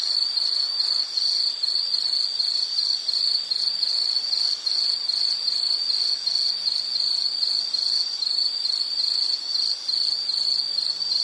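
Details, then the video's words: An insect sings a sustained high, rhythmic trill in rapid pulses, with faint, low, drawn-out hums in the background. "Sound · Nature Sound of nature sounds scenery L · insect"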